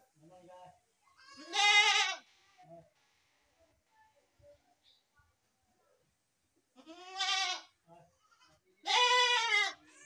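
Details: Three strained, quavering goat bleats: one early, then a long silence, then two more close together near the end.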